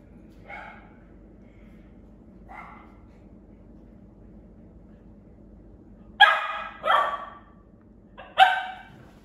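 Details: Cairn Terrier. A Cairn Terrier's sharp, high barks come in short bursts, two soft ones early and then three louder ones close together. A faint, low rumbling growl runs beneath them as the dog guards its toy in play.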